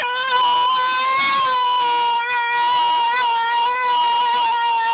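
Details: Almost two-year-old white Miniature Schnauzer named Winter singing after the car door ding, holding one unbroken, slightly wavering howl for five seconds with rich overtones and small pitch bends.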